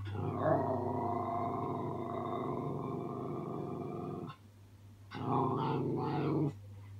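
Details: A baby Miniature Schnauzer practising growling at his own reflection in a mirror gives a low, rough rumble held for about four seconds, then after a short gap a harsher growl, over a steady hum.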